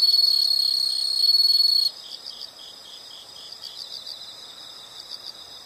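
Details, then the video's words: Insects heard outdoors: a loud, continuous high-pitched shrill trill for about two seconds, then it stops and softer rapid pulsed chirps carry on, about four per second. "the sound of insects"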